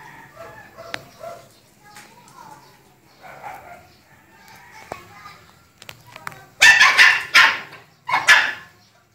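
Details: Two-year-old dachshund and two-month-old shih tzu playing together indoors; quiet murmurs and soft sounds at first, then a burst of loud, sharp barks in quick succession near the end.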